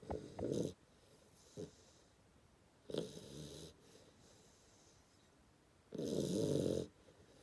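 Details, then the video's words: Ten-week-old Hungarian Vizsla puppy snoring while asleep: irregular noisy breaths, with short snorts near the start and a longer, louder rasping snore of about one second near the end, quiet between them. "Hungarian Vizsla snoring very funny"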